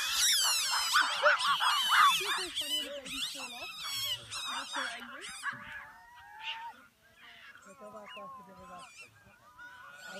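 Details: Several gelada baboons calling at Chenec campsite, Simien Mountains. A burst of loud, overlapping, wobbling high cries opens the recording, then thins into scattered softer tonal calls and warbles.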